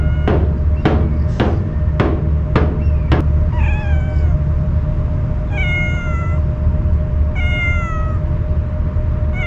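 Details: A stray cat fed Kalkan, usually fleeing at the sight of people, cries while eating cautiously; sharp knocks at first give way to four clear, slightly falling meows over low background hum.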